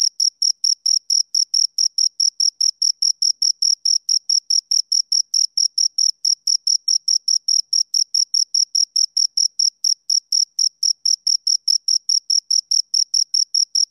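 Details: Two crickets give a steady run of high, clean chirps, several each second, pulsing evenly and without pause against a silent background, with no other sounds.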